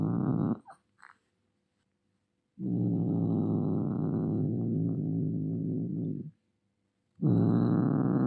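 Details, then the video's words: Domestic cat in an angry mood making a brief growl, then a long, steady rumbling growl of nearly four seconds, followed by another harsh growl. "Real Angry Cat Meow & Hiss | Billi Ki Awaaz"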